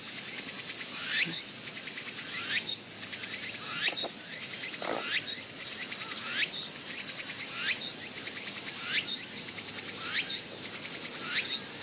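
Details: Young raccoon dog born this year, bitten on the tail by its sibling, 14 August 2012: repeated short rising squeals roughly every 1.3 seconds over a loud, steady insect drone.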